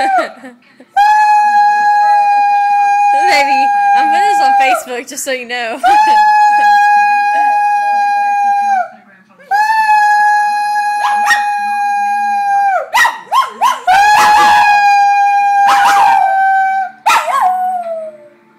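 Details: A male dog gives a series of long, loud, level howls, sustained for several seconds each, broken by shorter wavering notes and brief gaps, with a sharper yelping burst near the end.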